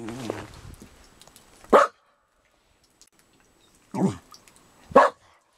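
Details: Dog barking: three loud, sharp single barks, the first near two seconds, then two more about a second apart near the end, after a brief faint vocal sound at the start; quiet between barks.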